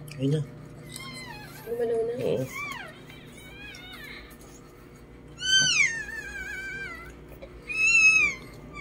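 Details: Lhasa Apso puppies being born. Several high, piping squeals slide sharply downward, each lasting about a second and spaced a few seconds apart. People talk in Filipino between cries over a low background hum.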